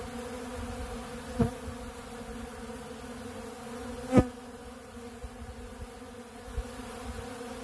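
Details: Many honeybees working a big blue pollen feeder stocked with ultra bee pollen produce a continuous low hum, broken by two sharp knocks or clicks and a fainter tap near the end.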